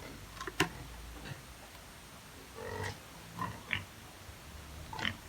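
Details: Native pigs on a Philippine farm, fed earlier in the morning, give short scattered grunts and squeals at intervals between quiet gaps, with faint background noise.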